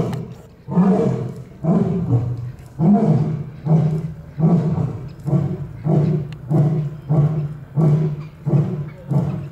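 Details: Barbary lion in a Czech zoo at Olomouc, roaring in a series of short, deep grunting pulses, about ten heavy huffs at roughly one-second intervals, each strong and throaty.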